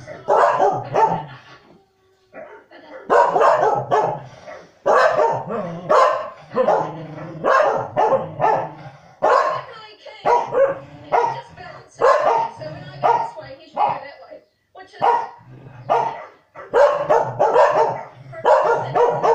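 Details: Two corgis, Norman and Arthur, bark at the TV while the show Country Calendar plays, trying to help the dogs on screen move the stock. They give loud bursts of rapid, excited barks with short pauses, and voices come through in between.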